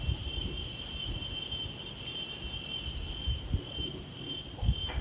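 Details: In daytime outdoors, an insect trills in a steady, unbroken high whine while wind rumbles and gusts underneath.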